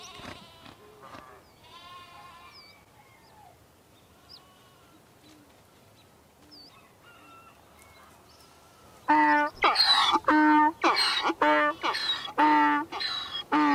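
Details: Donkey braying: after a quiet opening with faint chirps, a loud, harsh hee-haw starts midway, with rasping harmonic bursts alternating rapidly about twice a second for several seconds.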